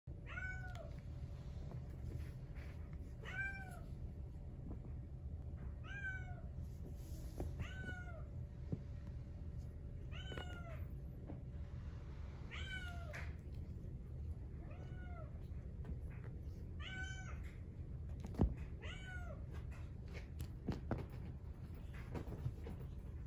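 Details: Brown tabby-and-white Exotic Shorthair male kitten, born 4/6/2021, meowing: about nine short, high, slightly falling mews spread across the recording, each a clear tonal cry, over steady low indoor hum and occasional soft clicks.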